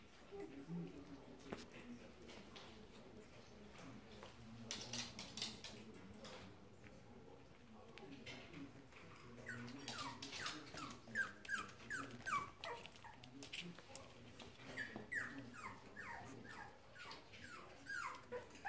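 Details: Four-week-old Cavalier King Charles Spaniel puppies from one litter give high, thin squeaks and whimpers, each sliding downward in pitch.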